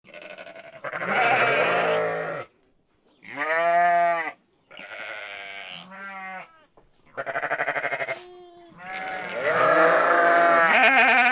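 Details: Sheep bleating in five separate calls: a long harsh opening bleat, two shorter quavering ones in the middle, a brief tremulous cry, then a long loud strained bleat to finish, with short silences between.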